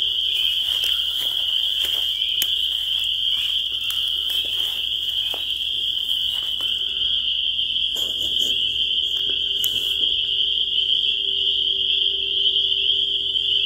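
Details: A chorus of spring peepers: countless sharp, high peeps blend into a continuous shrill trill throughout, with a faint low hum and some soft clicks appearing in the second half.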